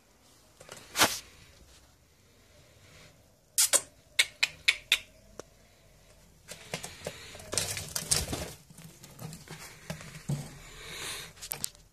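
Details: Sharp clicks and dry crunching taps come in short bursts, much like seed husks being cracked. No call, whistle or song can be heard in the quiet room.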